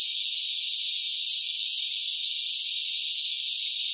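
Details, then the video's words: Noisy cicadas singing in the sweltering summer heat: one continuous shrill, high buzzing drone, even and unchanging from start to finish, nothing else audible. "뜨거운 무더위 속 시끄러운 매미 울음 소리"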